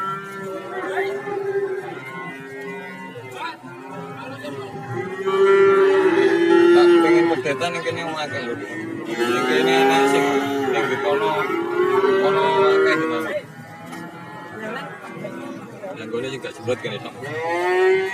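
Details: A chorus of cattle at the crowded Warujayeng cattle market, Nganjuk. Many moos overlap and follow one another over eighteen seconds, some long and swelling, others short, amid voices and general market noise.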